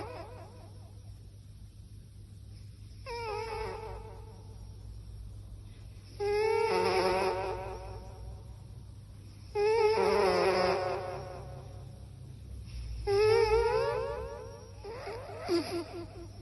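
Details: Domestic cat snoring indoors into a microphone: whistly, wavering harmonic tones come in bursts with each breath, roughly every three seconds, some louder than others, over a steady low background hum.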